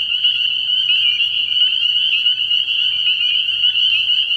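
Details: A short burst of spring peeper chorus from a frog pond at night, early in the year: steady, shrill, high-pitched peeping from many frogs at once, with no other sounds.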